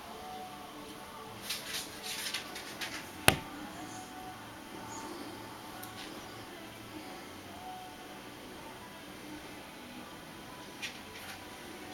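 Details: Faint indoor noise with a few clicks and a sharp knock, brief snatches of music and speech, and no animal sound.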